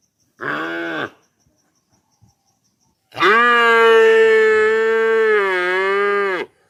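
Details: Cow lowing: a short moo of under a second, a pause, then a long steady moo of about three seconds with a slight dip in pitch near the end.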